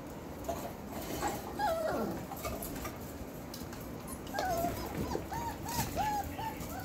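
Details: Belgian Malinois puppies of the Beastie/Barron litter, 4 weeks 4 days old, born 9/26/2021, giving short high whimpers near the start, then a run of brief, rising-falling whines toward the end over steady broadband background noise.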